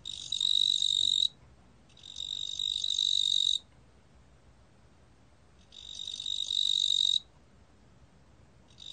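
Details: A 뚱보귀뚜라미 cricket in Korea, recorded in 2020 by the National Institute of Biological Resources, gives high ringing trill bursts of one to two seconds separated by short silences.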